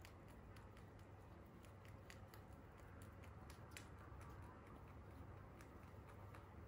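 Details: Holland Lop rabbits, free roam pets, munching crunchy hay: dense, sharp crackling bites come in rapid rhythmic runs throughout, with a constant low electrical hum beneath and no other sounds.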